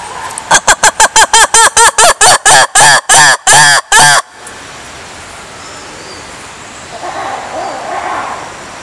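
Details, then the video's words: A lemur call sequence: about a dozen loud, nasal, harmonic notes with arching pitch, quickening at first and then growing longer, stopping abruptly and followed by quiet ambience with faint distant sounds. "Lemurs sounds"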